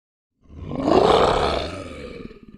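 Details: Lion roaring: a single loud, rough roar that swells over about a second, then slowly fades with a trailing rasp. No other sounds.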